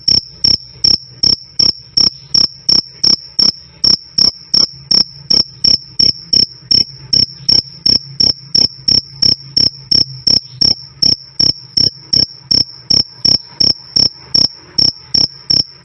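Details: Loud, clean "krik krik" of a cricket, meant for training cage birds like cendet and jalak suren: a brisk, even train of short, shrill chirps, nearly three each second, with a soft low drone underneath throughout.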